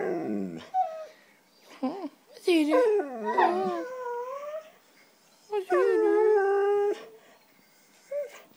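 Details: Female white Siberian Husky 'talking' indoors, wanting cheese doodles: a run of expressive warbling moans, yodels and whines rising and falling, including a long sustained howl-like note, with brief pauses between phrases.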